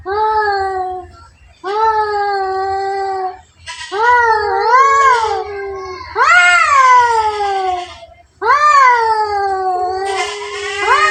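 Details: Caterwauling from two cats in a fight, six wailing yowls in a row, each wavering up and down in pitch, some ending in sharp rising swoops, separated by brief gaps.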